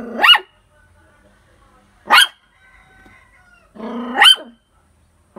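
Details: Poodle barking: three sharp, high yaps about two seconds apart, the last one with a whiny, tonal lead-in, against a quiet background.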